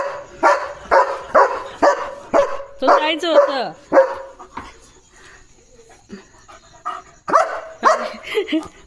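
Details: A German Shepherd on his evening barking duty at a farm, guarding his area, gives deep barks about twice a second with a wavering whine midway.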